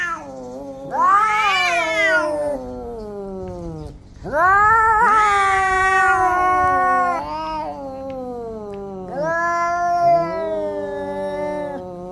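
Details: Orange cats fighting each other produce loud, quavering caterwauls, long howls that climb and fall in pitch, three main bouts with a brief low growl between.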